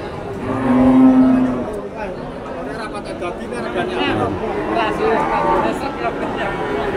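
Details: Cow with her calf at an animal market in Blora: one short, low, tonal moo early on, lasting under a second, surrounded by steady market chatter and people talking.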